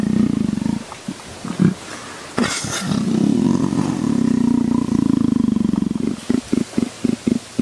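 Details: Leopard being scratched, with a low pulsing rumble that runs for several seconds after a sharp knock, then breaks into short separate throbs near the end.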